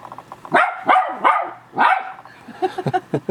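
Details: Indoors, a West Highland White Terrier mother barks while her three-week-old puppies leave the pen for the first time. Four loud, harmonic-rich barks come in quick succession, followed by softer yips and rustling.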